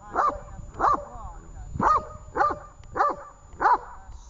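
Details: During training in Horlivka on 18 August 2019, Tash the dog lets out six forceful barks about half a second apart, with a slight gap after the second, against quiet background talk.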